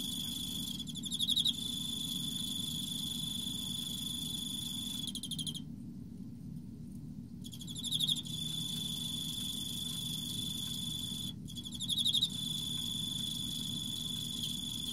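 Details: Autumn song of an Emma field cricket: short, high pulsed chirps spaced several seconds apart over a steady high whine, with brief breaks in the background and a soft low hum throughout.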